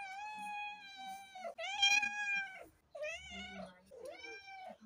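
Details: Long, steady, high-pitched meows from a house cat, rich in overtones, with four drawn calls, the later ones dipping and wavering in pitch, plus faint low background sounds.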